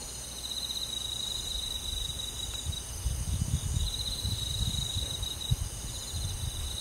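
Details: Crickets on a summer night among forest insects: a high, pulsing trill comes in bursts broken by short pauses, over a steady low rumble and a faint constant high hiss.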